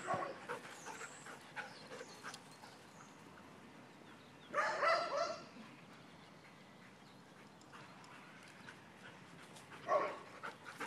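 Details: Two dogs, Ghira and Intense, playing outdoors on a spring morning; two short rough, broadband bursts of play noise stand out near the middle and end, with faint scattered clicks and a quiet background between them.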